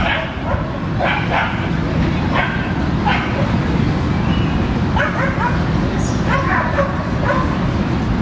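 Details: Dogs playing in a Brooklyn dog park, with short barks in scattered clusters over a steady low rumble of background noise and people talking nearby.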